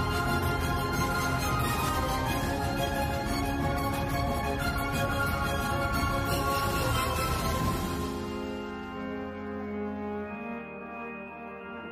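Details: Dense instrumental music with sustained tones and a steady beat fills the clip, fading quieter after eight seconds; no animal voice is heard.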